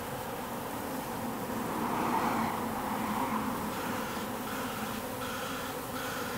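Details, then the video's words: Wild bees swarming at an industrial wall in October, workers and drones together; a steady humming drone that rises a little in the middle, with a faint traffic-like rumble underneath. "Spring October swarming of the wild bees in the industrial district"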